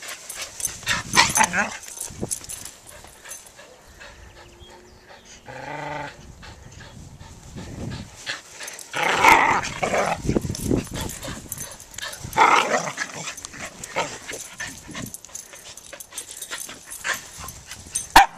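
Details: Pomeranian puppy chasing a Corgi who pulls a tug rope; scattered rough bursts and a few squeaky yips, loudest around the middle, with a brief human voice and scuffling in between.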